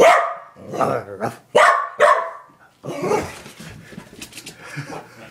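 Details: Nana the corgi, a playful female dog, gives a quick run of four barks in the first two seconds, followed by quieter scuffling and a person's voice.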